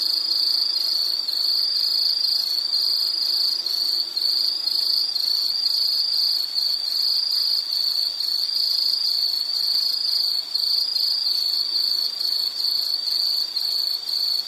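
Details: Steady piercing insect trill from a nature soundscape, holding one high pitch for the whole stretch, finely pulsed and unchanging, with a faint low hum underneath.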